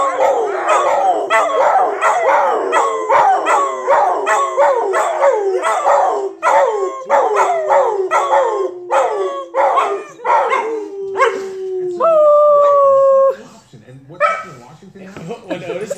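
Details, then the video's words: A group of dogs in a chorus of howls, many overlapping rising and falling cries with yips and barks packed closely, then a single long steady held note near the end before the howling fades into scattered yelps. "Howling dogs"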